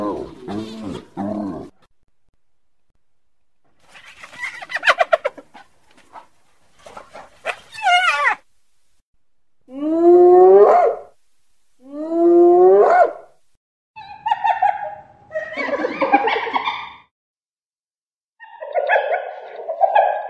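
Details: Hyena with a varied sequence: brief cackles and scratchy bursts, then two loud rising whoops a couple of seconds apart, followed by harsher nasal calls.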